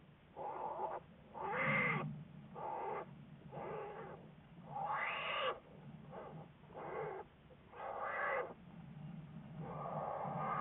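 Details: American black bear under study by researchers, recorded February 10, 2014: a series of whining, harmonic calls, some rising then falling, given in irregular bursts of about a second each over a low steady background hum.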